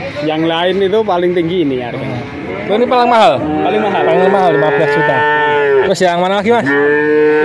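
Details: A group of male calves in Grabag, Magelang, Indonesia, calling together: moos of shifting pitch overlap, with bumps and clatter in between and a long, steady, even bellow at the end.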